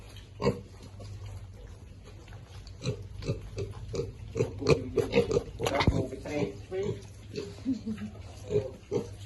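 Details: Piglets at feeding time give soft, irregular grunts, mixed with human voices talking over them and a louder burst midway.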